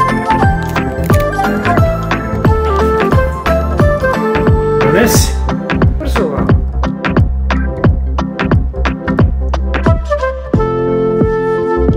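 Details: Upbeat electronic music with a steady drum-machine beat and synth hits, with some speech over it; no animal sounds.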